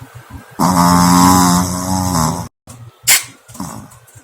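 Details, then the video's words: Shih Tzu puppy, snoring in its sleep and then irritated at being woken up. It gives a rough, throaty, grumbling growl for about two seconds. After a brief silence come a sharp noisy burst and a few softer low grunts. "FUNNY DOG SNORING AND WOKEN UP"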